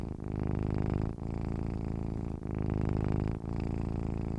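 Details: A cat purring, a sound of contentment and relaxation: a deep, steady low rumbling hum, broken by short breath gaps about every 1.2 seconds, with no other sounds.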